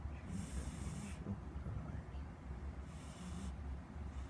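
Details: Pet cat Squeak snoring up a storm, with two breathy, hissing snores a couple of seconds apart over a low, steady hum.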